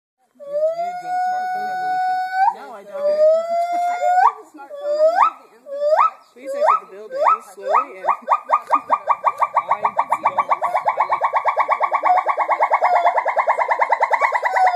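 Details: Captive gibbons singing at a gibbon center: long steady hoots, then rising upswept notes that speed up into a rapid, loud, regular series of whoops, accelerating steadily toward the end.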